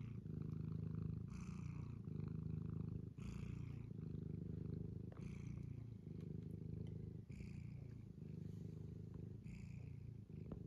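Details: Purring kitty on a County Kilkenny farm in Ireland, a steady low rumble with short breathy pauses, and soft brighter rustles or bursts roughly every two seconds over the continuous purr.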